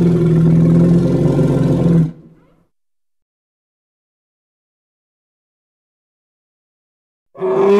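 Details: Hippopotamus in the Congo producing a deep, rapidly pulsed rumbling grunt for about two seconds, then silence before another call begins.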